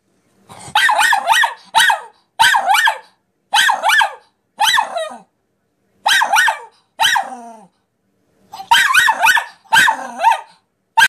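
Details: Nine-month-old female Miniature Pinscher reacting to a talking piggy bank, giving sharp, harmonic-rich barks in quick clusters of two to four, separated by short silences, with about a dozen barks over eleven seconds.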